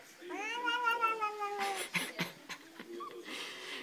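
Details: Indoors, a Bengal cat lets out a long wavering meow, slightly rising then falling, followed by clicks, bumps and a brief faint second chirp-like mew.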